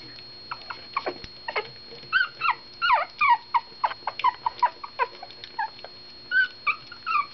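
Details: Two newborn rescue puppies at their first meal, offspring of a mother saved from a puppy mill bust; high squeaky whimpers and yelps come in quick irregular bursts, some rising then falling, with a steady faint electrical whine behind.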